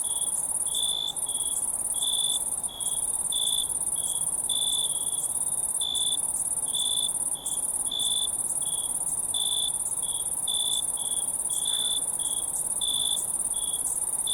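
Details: A wild crowd of crickets: a bright steady trill fills the background while many short chirps repeat rapidly, nearly one per second, with occasional brief gaps in the drone.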